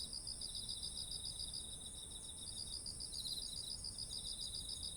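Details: Beside rice fields full of ripe grain in autumn, insects keep up quick, evenly spaced pulsing chirps with a brief pause midway, backed by a constant piercing high tone and quiet low noise; ZOOM H1essential recording.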